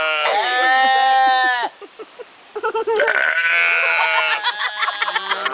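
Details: Sheep bleating in long, strongly harmonic, slightly wavering cries that almost sound like talking, then a short pause of clicks and soft bursts before another drawn-out bleat rises and breaks into stuttering pulses.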